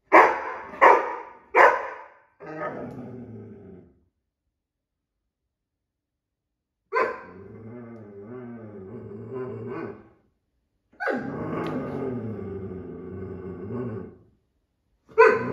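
An Irish Setter gives three sharp barks, then long, wavering, grumbling moans.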